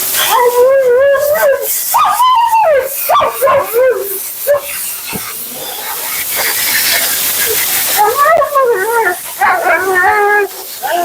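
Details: Vocal Siberian Husky Mila complains throughout grooming at her second-ever groom: rapid runs of wavering, yodel-like moans and yips early and late, with a stretch of steady hissing dryer or water noise in the middle.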